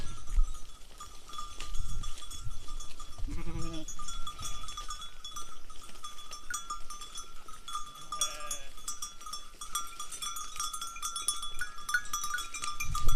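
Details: Sheep in a mixed herd of sheep and goats with their shepherd bleat with a quavering, wavering voice amid steady ringing flock bells, on a foggy, misty day above the clouds near a village in Gilan, Iran.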